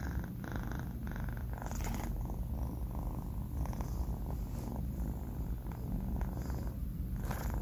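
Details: A sleeping four-month-old male cat snoring; a continuous low rumbling purr-like sound with steady rhythmic breathing, indoors, no other sounds.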